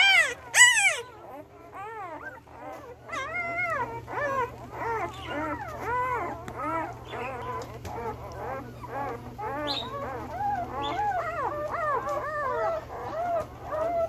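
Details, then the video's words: Male Belgian Malinois puppies one week old, born 9/26/2021, whimper and squeal in a dense overlapping chorus of rising-and-falling cries, after a louder sharp squeal at the start; a low steady hum runs throughout. "Belgian Malinois Male Puppies 1 Weeks Old"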